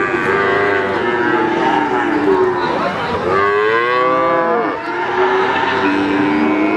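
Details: Cattle at the Wagenan cattle market in Pati: several overlapping moos, drawn-out harmonic bellows that rise and fall, one long arched moo near the middle, over a constant busy background of other animals and market noise.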